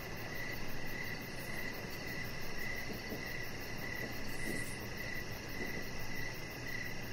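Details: Crickets chirping outdoors in the evening beside a deck: clear high pulses repeating roughly every half second, a faint rapid insect trill above, and low steady background rumble.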